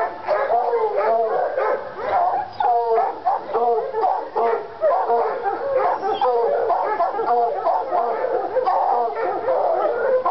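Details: Treeing Walker Coonhounds Lady and Cooper, North Carolina, worked up by a coon skin; Cooper still recovering from being hit by a car. Continuous overlapping barks and drawn-out bawls, loud and steady throughout.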